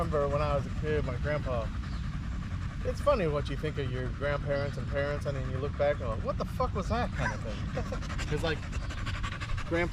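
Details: Staffordshire Bull Terrier in an evening park 'wolf pack chat' with other male dogs: a run of short, repeated wavering whines almost continuously, mixed with panting over a constant low-frequency rumble.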